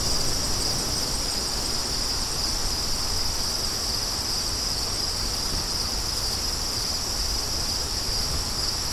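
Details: A bright, continuous cricket trill sits on a single high note, loud and even, accompanied by a soft, steady wind hiss.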